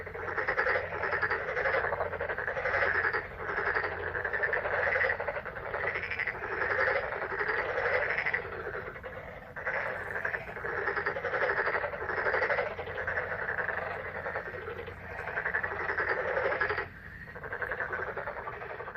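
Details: A May frog chorus: numerous frogs give fast, rattling croaks in overlapping bursts, pausing briefly near the end before resuming, over a low steady hum.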